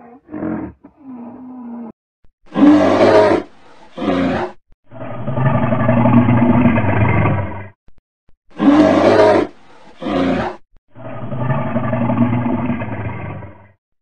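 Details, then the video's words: Large animal delivering deep, harsh roars in long sustained bursts of about three seconds, each preceded by shorter loud blasts, the whole sequence seeming to repeat twice, with no other clear sounds. "the big sound of large animals such as bulls, gorillas, rhinos, lions"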